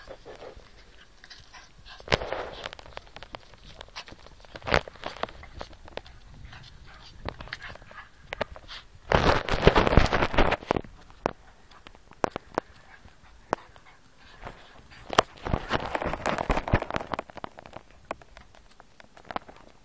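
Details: Two small dogs, best friends, play fighting: Lulu, a Yorkshire Terrier, and Rosie, a Kleinspitz x Jack Russell cross. Rough, noisy bursts of growling and scuffling rise and fade, loudest midway and near the end, peppered with sharp clicks and taps.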